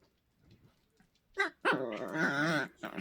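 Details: Two pet Poodles squabbling and making strange sounds: after soft rustling, a short burst, then a sustained wavering, nasal moan-growl of about a second, ending with a brief final yelp.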